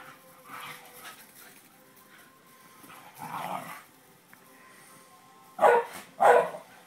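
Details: Female greyhound playing with her mate, giving two loud, short, rough barks in quick succession near the end, after a few fainter yips and huffs; a quiet background with a faint steady tone.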